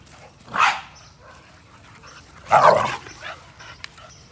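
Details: American Pit Bull Terrier of 60 pounds, kept together with a 35-pound American Staffordshire Terrier, gives two strong, harsh barks about two seconds apart, with light rustling and a steady low hum between them.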